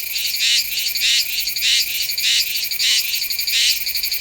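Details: September recording of a Meimuna iwasakii cicada at Nanzhuang, Taiwan, made with a Sony A7s3 and Rode VideoMic NTG. Shrill, rasping bursts pulse regularly, swelling about every half-second over a constant high buzz.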